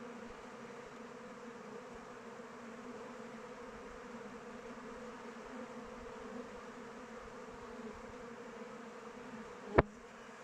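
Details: Honey bees in flight around a kept hive in open weather make a continuous, even, low drone with a deeper tone and its higher octave. A single sharp click sounds near the end.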